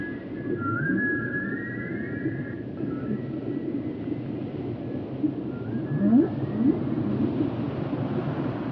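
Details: Whale vocalizations offered for relaxation and sleep: long high whistled tones that slowly rise and then fade, followed near the end by a few short low upsweeps, all against constant low hiss and rumble.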